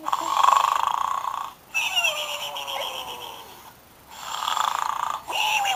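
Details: Sleeping pig snoring indoors: rough, buzzy snores in long rasping bursts of about one and a half seconds, separated by short quiet gaps, with a voice speaking over the middle section.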